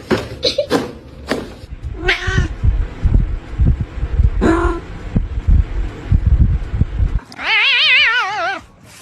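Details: An adult cat and a kitten in a squabble, with scuffling thumps and short mews, then a loud wavering, warbling yowl lasting over a second near the end.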